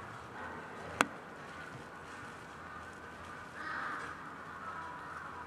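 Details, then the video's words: Three eastern timber wolves at Maruyama Zoo, father Jay (5 years), mother Kinako (10 years) and 10-month-old male Luke, howl together on snow in March after Kinako starts in response to an ambulance siren; long, overlapping, steady tones, one voice rising then sliding down. "シンリンオオカミ家族で遠吠え~Wolf's Family Howling"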